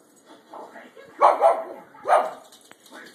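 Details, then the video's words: A pet dog watching television and wanting bacon; whining, begging sounds rise and fall in two louder bursts around the middle, with softer whimpers before and after and a person talking nearby. "Percy wants some bacon"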